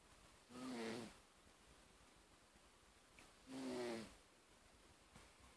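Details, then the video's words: Darcy, a male pet cat, snoring while asleep: two breathy, raspy snores with a low humming tone, each about half a second long, separated by roughly three seconds of quiet room hush. "My Cat Darcy Snoring"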